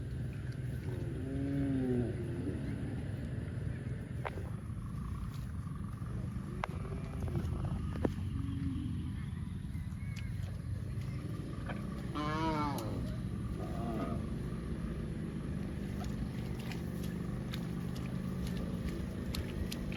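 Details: Cows running in the fields, with a few short, faint moos near two and seven seconds and a clearer wavering moo around twelve seconds, half buried under heavy low rumbling and clicking noise.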